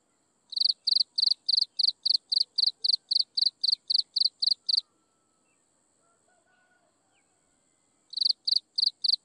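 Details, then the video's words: Insects chirping at sunset: rapid, evenly spaced high chirps about four per second over a thin steady high whine, a pause of several seconds, then the chirping resumes. "Listen to insects chirping in the sunset"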